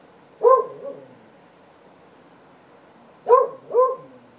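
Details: A beagle living next door barks: one short, harmonic bark, a pause of nearly three seconds, then two quick barks in close succession, over a quiet background.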